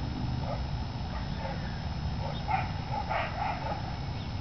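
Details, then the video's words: Several dogs barking at a dog park in Chandler, Arizona, on 23 October 2010, heard from a few houses away and disturbing the neighbourhood. Faint, distant short barks, clustering in the second half, over a steady low rumble of background noise. "Dogs barking and disturbing the peace"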